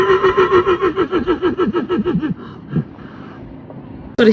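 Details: Horse neighing: a tremulous, pulsing whinny that wavers and slides steadily downward over about two seconds, then trails off into quieter rustling, ending with a sudden loud burst.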